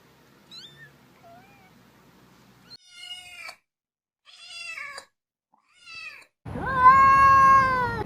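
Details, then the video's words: Cat uttering several short, soft meows separated by silences, ending in a louder, sustained meow with a steady tone and some background noise. "Sounds of cute cats: cat , cat"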